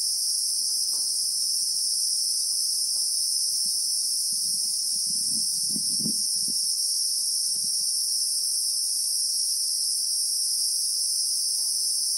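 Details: Christmas beetle chorus from South African bushveld: a constant piercing high whine in two bands, steady throughout, while a brief low rumble or rustle swells near the middle.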